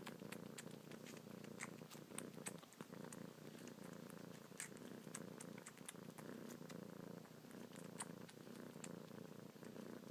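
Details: Young domestic cat suckling on fingertips and kneading with her paws, purring continuously; even low rumble throughout with scattered soft clicks and rustling close by.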